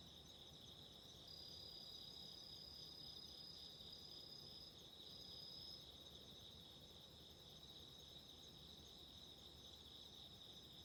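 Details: Night chorus of autumn insects by candlelight for relaxing: continuous high, shrill trilling from several insects, one ringing trill swelling in the middle, over a soft broadband hiss.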